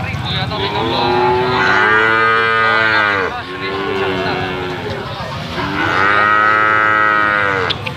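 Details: Calves of the Limousin cattle breed held for sale: three bawling moos, the first two running almost together and a third after a short pause, each arching in pitch, over a constant hum of activity.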